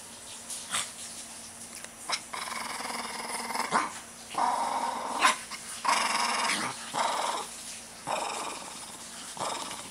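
A Shih Tzu lets out bursts of rough, gravelly growling, letting off pent-up energy.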